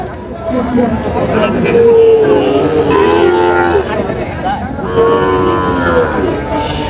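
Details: At a Chandpur cattle market on 23 July 2025, Sahiwal cattle, including a bull calf being bought, give two or three sustained, slightly rising moos amid background talk and market hubbub.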